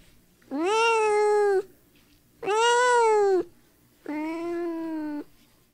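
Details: Blue-eyed kitten outdoors in nature meowing three times, each call long, steady and level, about a second apart, over a faint low background hum.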